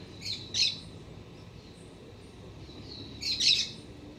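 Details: Black-tufted marmoset visiting a garden in autumn, when the sun reaches the trunk of a Citharexylum myrianthum tree on a mild day. Two short, shrill, high-pitched chattering bursts about three seconds apart, over a quiet background hum.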